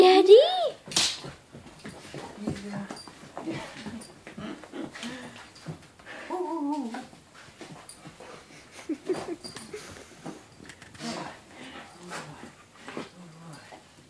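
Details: Sky, an excited eight-month-old German Shepherd/Siberian Husky puppy, greets her owner home from deployment with loud, high, sweeping whines at the start, followed by softer whimpers under steady human talking indoors.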